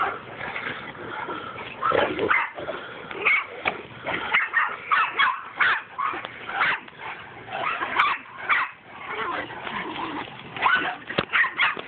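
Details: Two or more mastiffs wrestling in play, with near-continuous rasping growls broken by yelping and snarling bursts every second or so throughout.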